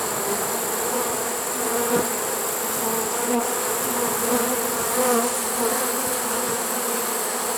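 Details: Trapped honey bee swarm, caught unusually late in the season in September 2019, giving a constant layered hum of many wings, steady and even, with small swells in intensity around the second and fifth seconds.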